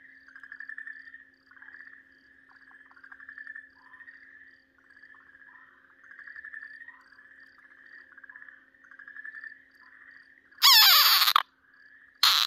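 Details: Okinawa green tree frog screaming while being seized by a Ryukyu keelback snake: short nasal, pulsed bursts repeating roughly every second with brief gaps, ending in loud rustling handling noise.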